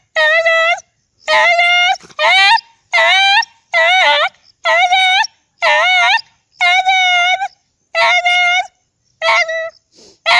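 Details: A dog howls repeatedly in loud, wavering, yodel-like wails, each one bending up and down in pitch, about ten calls in quick succession with short gaps.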